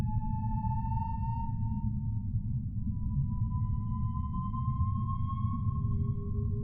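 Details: Humpback whale. A humpback whale sings in long, drawn-out tonal notes, each holding a clear pitch and gliding slightly upward. A lower tone enters near the end, all above a constant deep ocean rumble.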